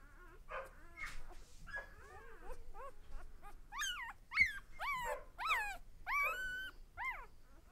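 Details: One-day-old puppies from Lexa's litter squealing and whimpering, a dense run of high arched cries with several pups calling over each other, growing louder and more frequent in the second half.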